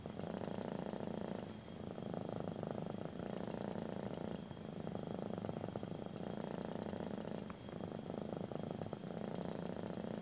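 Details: Kitten purring intensely while getting a belly rub indoors: a continuous low rumbling drone with cyclic swells, each phase lasting about one to two seconds, broken by brief dips as breath changes.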